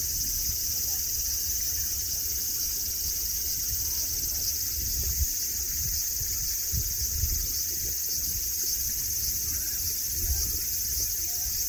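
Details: A continuous high-pitched buzzing drone of cicadas at Nara Park in Japan, beside grassy lawns where deer roam. The shrill hiss stays even throughout, with faint low thumps and murmuring noise beneath.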